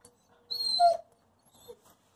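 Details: Freshly bathed dog, just back from a walk, vocalizing to demand that the door be opened: one drawn-out whiny, talking-like cry lasting about half a second, bending downward at its end, then a faint short whimper.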